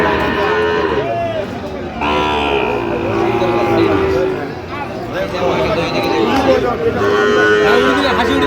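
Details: Sahiwal bull calves at a busy Dhaka livestock market in Bangladesh, 28 November: repeated low, drawn-out moos, some rising and falling, amid continuous voices and crowd noise.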